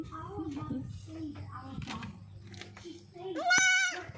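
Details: Goat in its new goat house, a loud wavering bleat near the end after several seconds of a person talking indoors.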